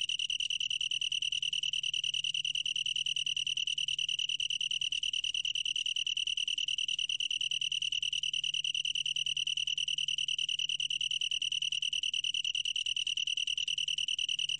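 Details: A long-tailed tree cricket (Oecanthus longicauda), recorded in Korea in 2020, sings a steady, ringing trill that runs on without a break.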